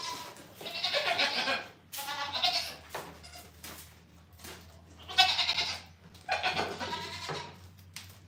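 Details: Goats on a farm bleating in long, wavering cries, four separate bleats spread across the stretch with quieter gaps between them, and a steady low hum underneath.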